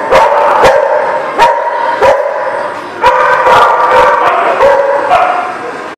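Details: Recorded 12/15/17, a group of dogs barks nonstop. Short, loud barks punctuate a steady wash of overlapping yaps and whines, with sharp bursts recurring roughly every half second to second.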